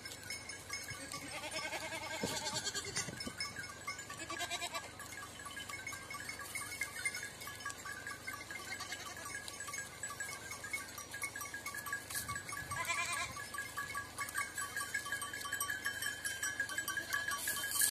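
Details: Young goats on the road to Kokkari, Samos, give wavering, nasal bleats, with a few short bursts standing out over a steady outdoor hiss.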